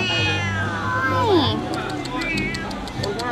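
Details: A stray cat meowing at Buddha Park in Vientiane, Laos, in autumn 2018: one drawn-out meow that slides downward in pitch midway through, over steady background music and voices.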